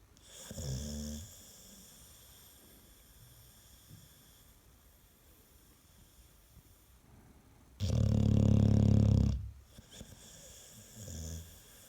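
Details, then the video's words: American Staffordshire Terrier, described as snoring louder than a washing machine on spin: one loud, deep, rumbling snore lasting about a second and a half, with softer snoring breaths before and after in a quiet room. "4 Минуты собачьего храпа | Храп | Стаффорд | Стаффордширский Терьер"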